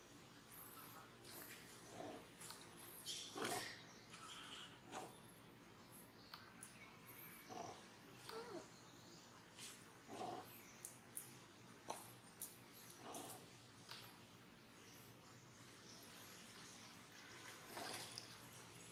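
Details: A young monkey at Angkor Wat Park cries in short, harsh bursts, with quieter whimpers between louder squeals, while another monkey disciplines it for making trouble.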